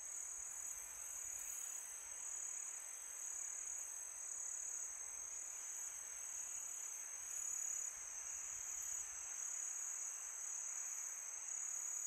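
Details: A summer night chorus of crickets, a continuous piercing high-pitched ringing held at an even level throughout, over a gentle hiss of wind.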